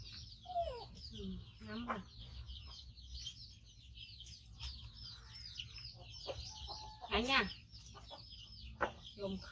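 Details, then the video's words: A five-month-old male baby monkey, rescued from a hunter and missing one foot, calls loudly while waiting to be fed: rapid high chirping squeals run throughout, over a woman's speech and lower clucking sounds. "Cutie Monkey Koko Make Sound So Loudly During Waiting Mom For Eating"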